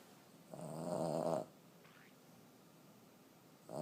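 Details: Snoring 14-year-old female Boston Terrier asleep indoors: one long grating snore near the start, a faint brief sound in the pause, then the onset of another snore at the end.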